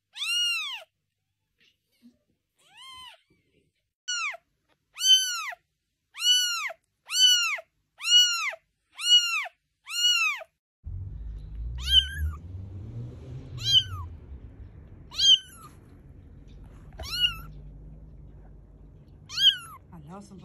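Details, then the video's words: Kittens giving a run of short, high, arched meows about once a second, each rising then falling with bright overtones; after a pause, fewer, sharper mews continue over a low rumbling background noise. "Kittens Making Different Sounds"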